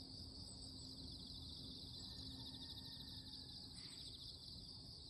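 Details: A loud morning chorus of insects drones steadily, a high shimmering buzz with a fainter, even higher whine above it.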